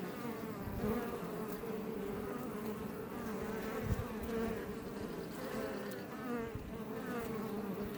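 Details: Honey bees, Apis mellifera iberica, buzzing outside a Langstroth hive west of Roquetes near Els Port National Park, south Tarragona, Catalonia, Spain; a dense, steady drone with overlapping hums from many bees, one brief low thump near the middle.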